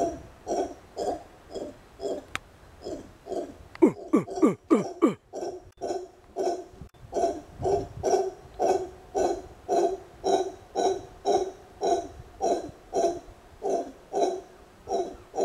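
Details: Howler monkey known locally as congo, owned as a pet, vocalizing while a man talks to it: steady, evenly spaced hoarse hoots roughly twice a second, broken midway by a quick burst of downward-sliding grunts and a sharp click.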